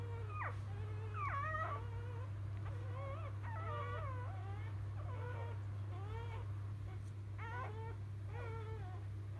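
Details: Just-born field Labrador Retriever puppies from champion dam biscuit (2017 JFA Grand Champion) utter short, high squeaks that dip and climb, repeated in uneven quick runs over a steady background hum.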